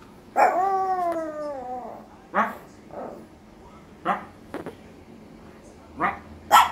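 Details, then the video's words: Small Maltese dog howling: a long, wavering harmonic howl sliding slowly downward over about a second and a half, followed by several shorter yelping howls at irregular intervals. "little Maltese howling"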